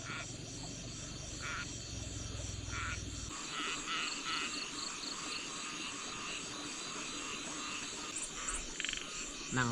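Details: Small frogs calling at night in the forest, a dense chorus of short repeated pulsed croaks with insect-like trilling above, while a person rests nearby after eating; brief low murmur early on.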